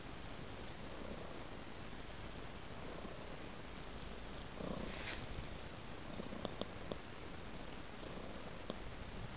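A tabby cat purrs in a steady, low, rumbling drone, with a few soft rustles.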